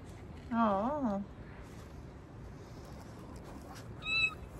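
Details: Domestic cat at home on the morning of 21 October, giving one wavering meow of under a second that rises and falls in pitch. A short, high squeaky note follows near the end over a quiet indoor background.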